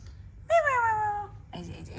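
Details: Domestic cat, a mother playing with her kittens indoors, gives one drawn-out meow of under a second. The tonal call starts higher and slides steadily downward, with clear overtones. Human voices talk just before and after.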